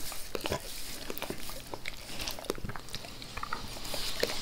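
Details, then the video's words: Close, quieter face-licking by Max the dog, whose licking grows gentler when he is petted; soft wet smacks and scattered clicks with brief pauses between licks. "Max Licks | Face Part Tres | ASMR DOG LICKING"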